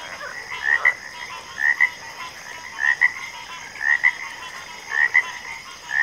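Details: Frog chorus in backwater: paired croaking notes near the same pitch repeat roughly once a second, each pair a short rising note followed by a second, over a steady high insect-like hum and a faint background of other frogs.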